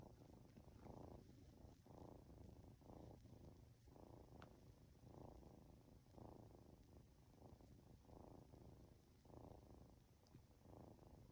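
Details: Two-month-old Norwegian Forest Cat kitten dozing off while being stroked indoors, purring steadily: low rumbling pulses with breathy bursts swelling roughly every second, alternating inhale and exhale phases, quiet room otherwise.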